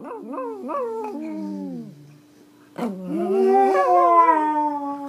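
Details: Pomeranian in India singing: wavering, quavering howls that rise and dip in short pulses, then a lull and a longer, steadier howl with a slight warble. A faint steady low tone runs beneath.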